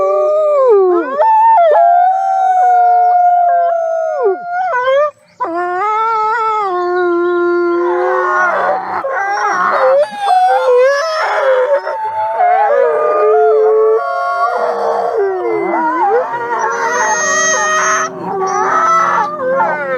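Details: Several wolves howling together. It opens with a few long, steady solo howls, then builds into a dense, overlapping chorus of rising, falling and wavering howls and yips at different pitches.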